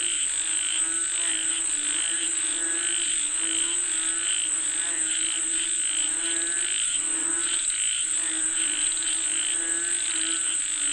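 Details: Frog chorus calling for rain: dense, repeated croaking pulses that overlap for about eleven seconds, backed by a continuous high-pitched insect buzz.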